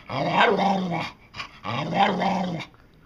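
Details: Pet dog 'talking', said to be saying 'I want some': two drawn-out, growly, moaning phrases of about a second each, rising then falling, with a short grunt between them; quiet room.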